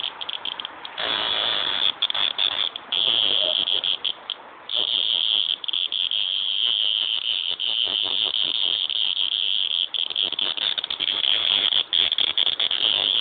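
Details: Cicada calling in a steady, loud, high-pitched electric buzz that runs almost the whole time with a few short breaks, overlaid by scattered crackling clicks and rustles.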